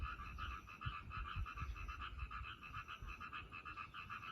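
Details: Croaking frogs in a drainage ditch beside railway tracks, giving quick, rattling croaks in an unbroken, slightly uneven run, with low background rumble underneath.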